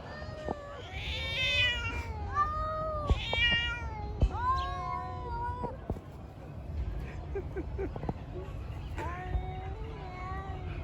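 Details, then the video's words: Cats fighting, giving strange, drawn-out wavering yowls and moaning calls that overlap and answer one another in bursts through the first six seconds, then a shorter yowl near nine seconds, over a steady low rumble of background noise. "Cats Fighting by making strange noises"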